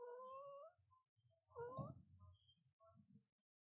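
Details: Mother cat with her newborn kitten on its first day: thin, rising high mews, one long and one bending, followed by a few short faint squeaks over soft low rustling, quiet indoors.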